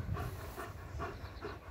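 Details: German Shepherd playing with a ring on a morning of about 20 degrees, breathing in quick, rough panting bursts roughly every 0.4 seconds, low and breathy, with a man's voice nearby.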